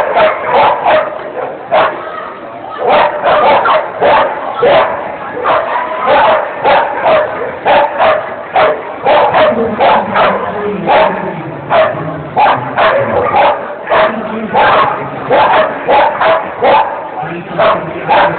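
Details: Angus, a dog competing in an agility A-run at Thalfang in 2010 and finishing second, barks excitedly and almost continuously in quick repeated yaps, with background chatter from people.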